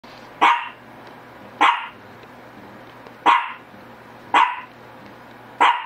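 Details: Shih Tzu barking: five short, sharp barks at uneven intervals of about one to one and a half seconds, each a bright burst fading quickly, over a steady low electrical hum.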